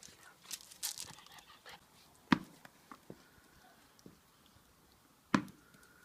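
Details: Lilly, a Labrador Retriever puppy, at play. Soft panting and faint whimpers come through between rustling, with two sharp knocks near the middle and end.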